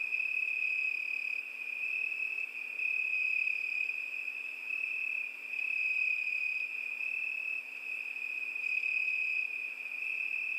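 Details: Crickets sing through a summer night in a continuous piercing high-pitched trill, with soft pulsing surges in volume every few seconds and a faint higher tone above; nothing else is audible.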